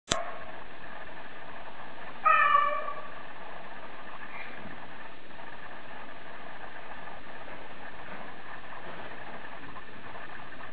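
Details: A female Bengal cat gives one short, clear, tonal meow, slightly arching in pitch, over a constant low mechanical hum.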